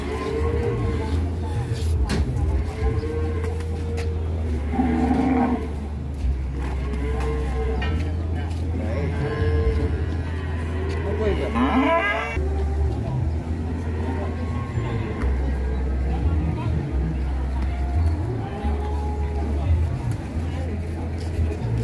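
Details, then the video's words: Raging, angry cow, said to be afraid of being turned into lontong opor for Lebaran, gives long drawn-out lowing moos with arching tones, over a steady deep rumble like an engine and occasional human voices. "SAPI NGAMUK MARAH"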